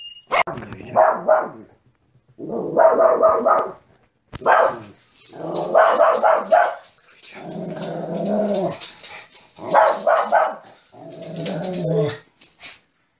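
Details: Dog giving loud, rough barks in irregular clusters separated by brief silences, each burst a rapid run of harsh yaps, some ending in a lower growly tail.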